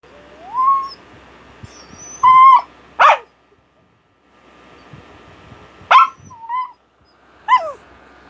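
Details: Japanese Spitz dog named Buchog giving rising, whistly whines with several sharp, short barks between them, and quiet gaps in between.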